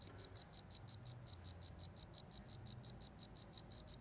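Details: Village cricket sound: a crisp, high, metallic chirp repeated about four times a second in a very regular beat against near silence.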